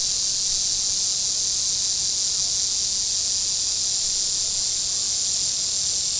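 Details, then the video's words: A continuous shrill drone of cicadas on the shore of Table Rock Lake in southern Missouri on a warm day, even and unpulsed throughout, with almost no other sound. "Boating Lake Sounds and Cicadas"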